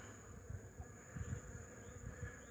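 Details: Honey bees flying about their hive on a warm 8 March 2015, busy after an intensive cleansing flight; a faint, steady hum runs beneath low, irregular thumping bursts.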